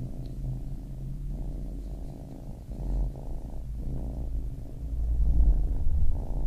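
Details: Baby kitten purring quietly, a gentle rumble in breath-length pulses, over a deeper thudding low noise that grows louder near the end.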